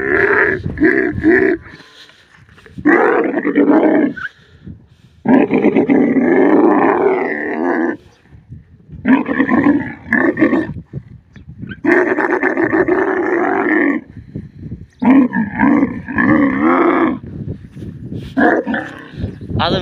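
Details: Desert camel bellowing in a long run of gurgling, rasping roars, some stretching over two seconds, broken by brief silences; a man speaks a word at the end.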